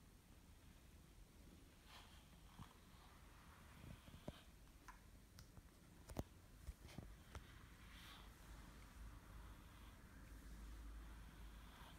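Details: Soft rustling, scratching and faint clicks from brushing in a quiet room, with no animal voice. A low room hum runs underneath throughout.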